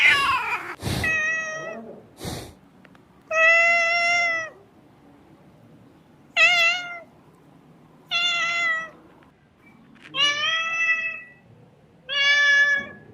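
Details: Kitten crying with high, clear meows, each about half a second to a second long, spaced every two seconds, after a few sharp knocks at the start; otherwise a quiet room.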